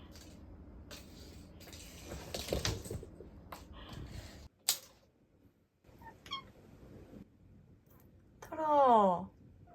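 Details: Toro, a 10-month-old male British Shorthair house cat on a diet and grown very touchy around food, gives one loud, drawn-out meow near the end, after indoor rustling and a woman's voice.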